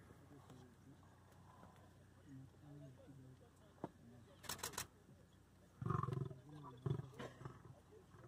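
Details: Male lion in Samburu National Reserve, Kenya, on May 25, 2019, growling from inside the bush at younger lions to keep them away while he eats: low rumbling growls, louder bursts near the end, with clicks and faint human voices.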